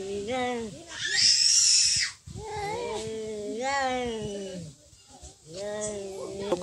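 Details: Cats in a real fight: long, wavering, moaning yowls that rise and fall in three drawn-out bouts, broken by a harsh, loud hiss early on and short quiet gaps between bouts.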